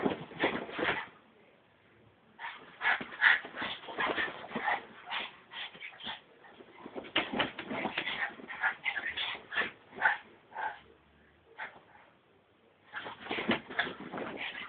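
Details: Excited Brussels Griffon dog whining and yipping in fast, uneven runs of short squeaky cries, about two or three per second, with a long pause midway before another burst.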